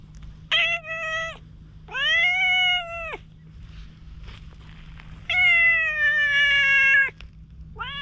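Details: Wary stray cat, filmed on a GoPro while being won over with a cat grooming comb, gives long drawn-out meows, four calls in eight seconds, each held steady then dropping at the end, with quiet pauses between.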